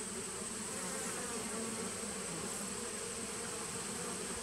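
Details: Steady, even buzzing of bees in a nuc colony started in 2017, captured 19 September 2018. The low hum neither rises nor falls, and a faint high-pitched whine sits constantly above it.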